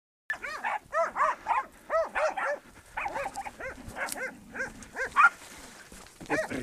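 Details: Podenco working dog barking at a wild boar lying in its bed in a ravine while hunting; rapid, ringing barks, roughly two to three per second, some overlapping and uneven, with faint rustling between them.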